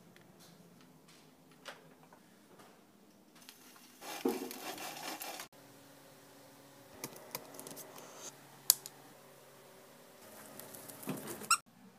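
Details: Scratching, tapping and rustling noises in a small indoor room, with sharp clicks and bursts of scraping but no animal voice.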